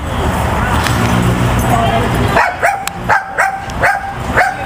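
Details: Brussels Griffon running around at a doggie daycare; after a stretch of busy background din, sharp barks ring out about twice a second in the second half, each short and harmonic-rich.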